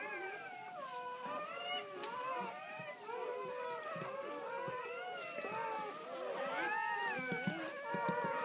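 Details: Ten newborn Great Pyrenees puppies, six females and four males, from their mother's first litter on a farm. They make many overlapping thin, wavering whines and squeals that rise and fall continuously, with scattered soft clicks.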